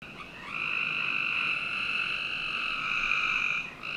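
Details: Frogs calling on a summer night in the backyard of a Northern Virginia home: a steady, high buzzing trill starts after half a second and holds for about three seconds before briefly dropping, over faint background hiss.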